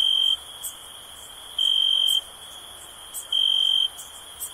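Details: High, buzzy cricket chirps, three short trilled bursts spaced evenly around one and a half seconds apart, set against an unbroken piercing background whine, meant as soothing stress relief.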